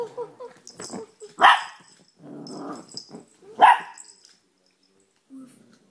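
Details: Young male Chihuahua, nine months old, playing on a couch indoors, recorded on a phone: two sharp, high barks about two seconds apart, with soft grumbling growls and small squeaky noises between them.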